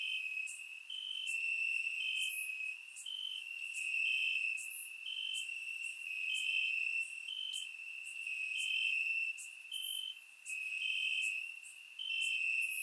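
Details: Several crickets trill in grass on a warm Bulgarian summer night, captured with a surround microphone; a steady shrill drone carries regular higher chirps about twice a second, with occasional very high sharp ticks.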